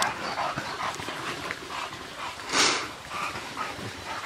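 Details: Female Bulldogs from a pack of bitches cool off in a stream at their breeding kennel. Breathy panting comes in quick rhythmic puffs, about two each second, with a louder splashing burst midway and running water beneath.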